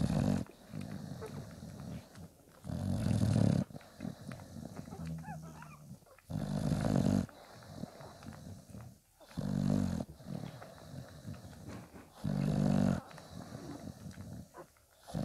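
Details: Litter of five-day-old Bulldog puppies with their milk-giving mother Spikkels; repeated low, gravelly grunts and snorts in bursts every two to three seconds, with quieter breathing and rustling in between.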